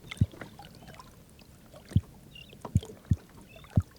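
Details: A freshly caught red drum, thought to be a male from its dark upper pigment, in lowcountry tidal waters, gives deep, thudding knocks about a second apart by vibrating muscles around its swim bladder, probably to attract mates.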